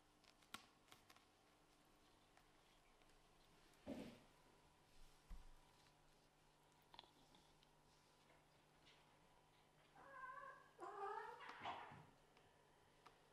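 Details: Small kittens of Scottish Fold and British Shorthair parents squabbling over a bed indoors; a few soft thumps, then a short burst of rising, harmonic mewing calls near the end over quiet room hum.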